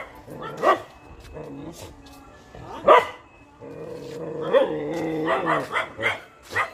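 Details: Dog giving a few short barks followed by drawn-out, wavering whine-like tones in a layered harmonic stack, with voices talking in the background.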